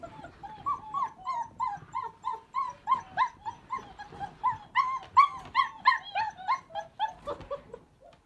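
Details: Three unhappy young puppies kept indoors, complaining because they want out; rapid high whines and yelps repeated about three times a second, overlapping in a steady chorus.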